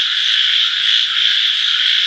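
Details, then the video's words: Chorus of frogs forming a continuous shrill buzzing drone, many callers overlapping so closely that no single croak stands apart, steady in loudness from start to end. "voice of frogs"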